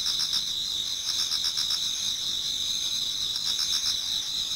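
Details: Many insects singing in a Japanese garden towards dawn in autumn: a dense, continuous high-pitched chorus with steady bands of trilling and pulsed chirps repeating about four times a second, no other sounds.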